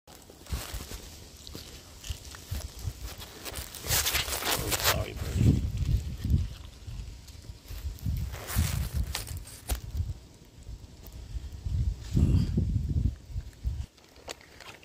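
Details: A male serval that has just eaten a mouse gives low, rough, grumbling calls in short bursts a few seconds apart.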